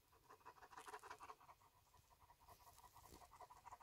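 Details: Major, a pet German Shepherd, pants at dinner on a hot day: soft, quick breathy puffs in a steady rhythm, fading slightly midway, with no voices over it.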